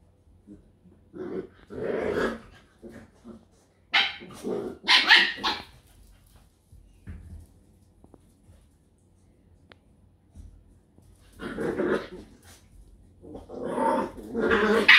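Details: Scottish Terrier from a Hungarian kennel barking in rough bursts with growling mixed in. Several loud clusters of barks are separated by short quiet gaps, and the calls grow stronger toward the end.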